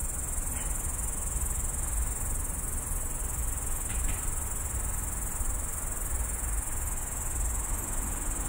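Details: Grasshopper calling in the middle of the night from roadside bush on the edge of Tallinn, captured on a phone: continuous high, hissing trill holding one pitch throughout, with faint low background hum and a couple of soft clicks.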